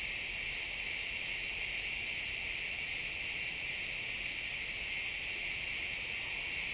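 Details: Chorus of crickets in a pine forest at sunset, continuous shrill trilling that holds steady throughout, several high bands blending into an even woodland drone, captured in stereo.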